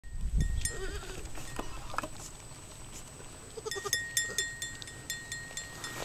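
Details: Newborn goat kids, twins of a white female and a brown male, recorded just after birth while the mother tends them: soft, short bleats early on, followed by scattered clicking and rustling noises.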